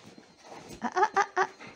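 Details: Rhodesian Ridgebacks Mister Brown and young Tommy Girl waiting impatiently indoors for treats after months of rain kept them playing inside; four short pitched whining bursts in quick succession, with soft human words just before and after.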